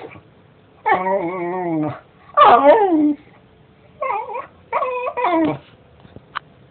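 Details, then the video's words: A domestic dog makes five separate vocal outbursts: a level, sustained whine, then a wavering yelp, followed by shorter high-pitched yips with bending pitch. Short pauses fall between them, and the room behind is quiet. "Dog Barking"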